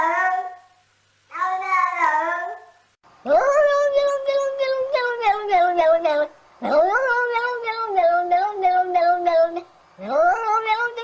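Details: Domestic cats in clips gathered from internet recordings, seeming to want to talk: a series of long, wavering meows, several swooping up sharply and then sliding slowly down, separated by short pauses.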